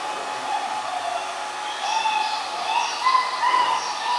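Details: Black-mantle German Shepherd puppies, 45 days old, a litter of one female and three males, filmed 10 December 2015: short, high, arching whimpers with bright overtones, clustered in the final two seconds over a steady blowing hiss.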